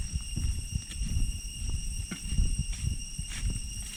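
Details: Deep-jungle cicadas near Chhay Yong Waterfall, Areng Area, Koh Kong, Cambodia, sustain a flat, metallic high hum with constant pitch, heard beneath irregular walking footsteps on the trail.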